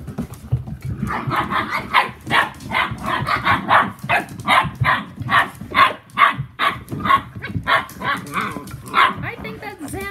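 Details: Whippet puppies from the litter of Saffi and Solo, ten weeks old, making a quick run of short yelping yips, roughly two or three a second, with human voices mixed in behind.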